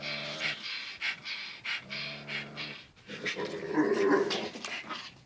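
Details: Two dogs named Zion and Tyson during their daily wrestling match; low pulsing growls and quick panting, followed by a louder burst of mixed snarls and what sounds like a human voice.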